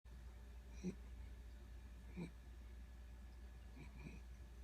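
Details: A one-year-old female corgi sleeping snores softly, with low, rasping breaths returning every second or two.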